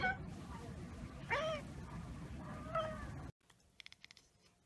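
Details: Cat making its chattering sound after spotting a bird or insect it cannot get to: two separated chirpy, bending calls about a second and a half apart, then an abrupt cut to quieter clicking sounds.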